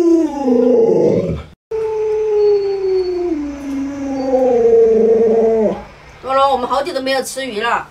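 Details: Luoluo the Alaskan Malamute, startled by an owner in a mask, gives two long drawn-out howls, the first wavering and the second gliding down and up again. Human speech and laughter follow at the end.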